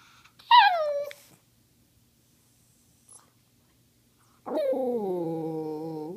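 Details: Pet dog vocalizing to ask for treats indoors: a sharp high whine sliding steeply downward, a pause, then a long, drawn-out, moaning 'talking' howl that dips and holds steady with rich harmonics.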